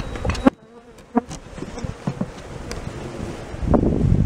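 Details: Japanese honey bees swarming in 2017, a low droning hum broken by sharp knocks and taps, the buzzing swelling louder toward the end.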